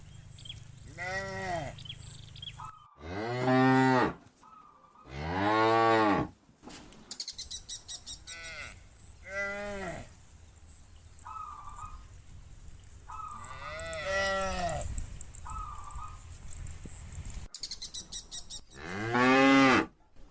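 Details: Farm cows lowing to call a companion home: a run of strong, rich moos rising then falling in pitch, interspersed with softer calls, brief steady tonal beeps and a low background hum.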